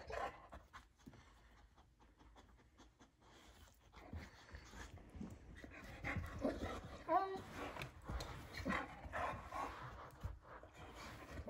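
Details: Pyper, a female Boxer, works indoors to reach her ball rolled between the couch and table; fast heavy panting and snuffling throughout, louder in the second half, while a person urges her to get the ball.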